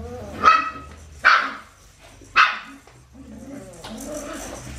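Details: Australian Shepherd puppies from Winnie's litter, aged four weeks and five days, on a baby cam: three short, sharp, high yelping cries about a second apart, followed by softer, lower whining murmurs and faint background noise.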